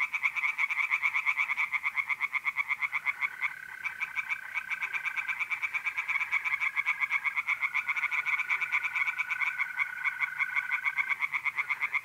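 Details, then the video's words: Night chorus of tree frogs in a pond, north-east Italy, mid-April: rapid, regular rattling pulses that briefly soften then surge again, over long smooth steady trills of mole crickets starting and stopping. "singing tree frogs in pond and trilling mole crickets by night"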